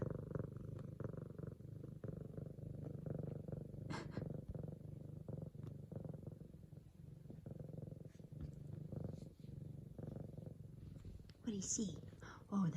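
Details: F2 Savannah cat, female, kneading a leopard pillow indoors and purring while excited to greet her owner home from work; continuous low rumbling purr with faint rustles, then brief higher sounds near the end.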